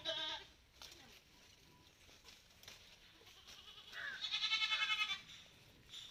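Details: Malabari goats outdoors on a farm, with a short bleat at the start, then a longer, strongly tremulous bleat pulsing rapidly for about a second, amid light background noise.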